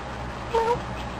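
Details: Male domestic cat talking at its owner indoors, giving one short, level meow of about a quarter second with a faint overtone, over a low steady background hum.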